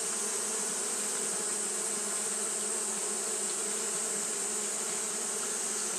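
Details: Steady wingbeat hum of fanning Japanese honey bees on a hot day, a full, even buzz with low and mid tones that never stops, set against a continuous high, airy hiss.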